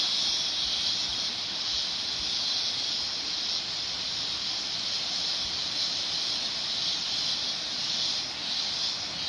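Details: Cicadas singing in the mountains: a dense, unbroken high buzzing hiss that holds steady for the whole stretch, a continuous chorus of many insects with no pauses and no other sounds.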